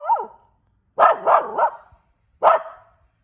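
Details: A cute puppy barking: a short yelp, then a quick run of three high barks and one more after a pause, each bright and sharp with a falling tail, in a quiet room.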